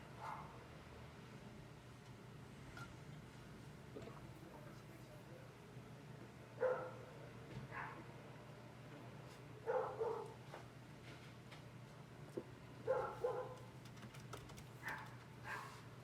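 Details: Neighbourhood dogs barking at midday, almost 1 pm, as leaf blowers keep running: sparse single barks and short doubles every few seconds, fairly distant, above a constant low mechanical hum.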